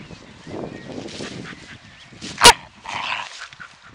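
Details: Pet dog at play, barking after the ball is kicked and then grabbing her toy; a single sharp bark stands out amid scuffling and faint background voices.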